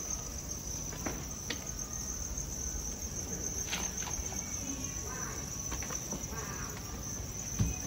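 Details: A cricket-rearing farm in Hanoi, Vietnam: a dense, steady high trill with faint upper overtones continues throughout, mixed with intermittent clicks, rustles and a brief knock at the end.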